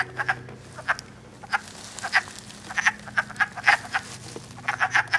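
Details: Wood frogs calling and mating in Elmer, New Jersey, early spring 2012, recorded on an iPod: fewer callers here, giving distinct short clucking croaks, often in quick pairs or triplets, roughly fifty per minute against a quiet background.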